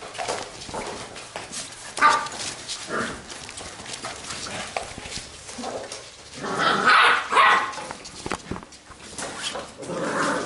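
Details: Playful Labrador retriever puppies of a B litter: short, high, yelping barks and whimpers come in uneven clusters and are loudest around the seventh second, amid rustling and scuffling.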